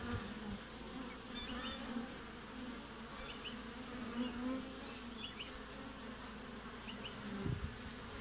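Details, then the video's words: Honey bees at a hive entrance in Australian midwinter, recorded on 20 June: a steady low buzzing hum with brief higher buzzes of single bees flying past at intervals. "WINTER BEES front of the Hive Acivity"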